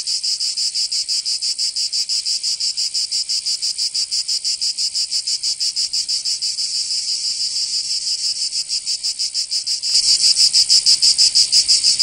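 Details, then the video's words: Cicadas in a Provençal summer, southern France, keep up a shrill pulsing drone; near the end a louder, brighter buzz abruptly swells in over the steady rhythmic chorus. "Canto Cigarra 🦗 [ Escuchar les cigarras en verano"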